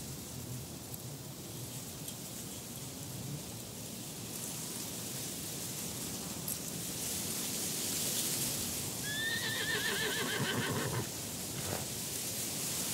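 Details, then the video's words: Wild horses in a mountain landscape: after long stretches of rushing wind and breeze, a single high, trembling whinny rings out and fades, with the wind continuing underneath. "Horse Sounds"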